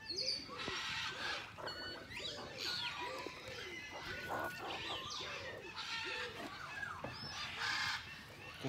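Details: Meerkat troop in a zoo enclosure, handled during a lunch-break visit: a steady series of short, arched, mid-pitched chirps repeated roughly twice a second, over broadband rustling and scuffling noise.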